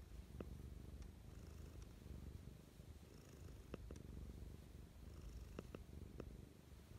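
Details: Morning affection from Mischa the cat: unbroken low purring that rises and falls gently with breathing, accompanied by several brief clicks and faint rustles.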